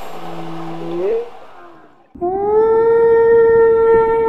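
A whale calls in long, resonant tones. The first moan holds low and then sweeps upward; after a brief pause a second, higher note sounds steady and rich with overtones.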